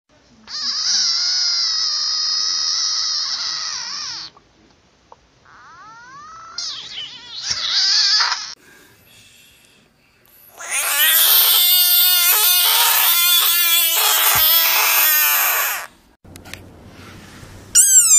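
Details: Screaming frogs in a compilation: several long, loud, high harmonic wails, each held for a few seconds, separated by abrupt cuts and short silences, with a brief higher squeal at the very end.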